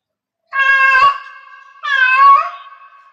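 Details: Cat in heat meowing: two long, drawn-out harmonic meows, the second wavering and sliding downward, each followed by a lingering steady tone.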